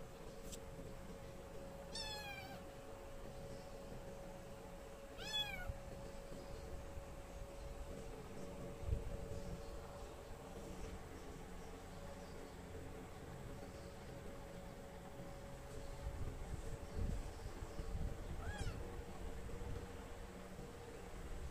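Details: A stray kitten gives high, thin meows, two close together early on and one more later, each a short bright rising-then-falling squeak, over a steady hum of background noise.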